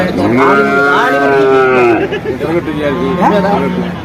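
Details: Young bull calves at Vaniyamkulam cattle market: one long, steady moo of about one and a half seconds, with a slight rise and fall, followed by a man talking and another short lowing call.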